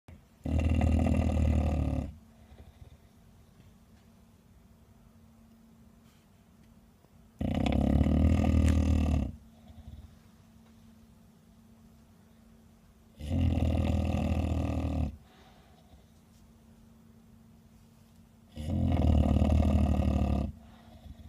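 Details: Kuu-chan, a 13-year-old female Bulldog, snoring loudly: four long, rough, rumbling snores, each about two seconds, coming roughly every six seconds, with a steady low hum in the quiet gaps.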